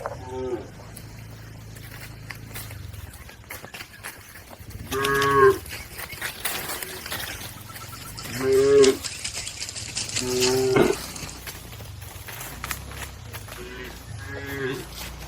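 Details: A herd of cattle crossing a river toward their pen gives repeated moos, about five across the stretch, each short, harmonic and level-pitched, spaced several seconds apart over rustling and water noise.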